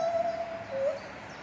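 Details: Captive male lar gibbon at Safaripark Beekse Bergen, 9 July 2021, in song: a sustained, level, whistled tone that falls away briefly, then a short slightly rising note over quiet background noise.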